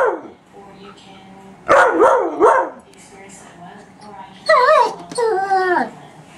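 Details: Two dogs, a German Shepherd and a shepherd/husky mix, confront a running vacuum; a pair of rough barks arrives, quiet follows, then two longer bending whine-barks near the end over a constant motor drone.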